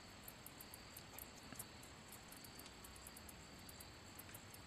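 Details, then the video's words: ['Handsome meadow katydid rubbing its wings together, giving a series of quick, very high-pitched ticks and brief buzzy pulses over a low hiss.'] "Katydid making noise / sound / chirping | Handsome meadow"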